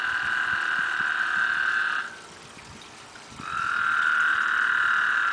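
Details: Toads mating in a backyard pond, eight loud animals together; a steady high trill holds for two seconds, pauses about a second, then resumes and runs on, with faint clicks and rustles beneath.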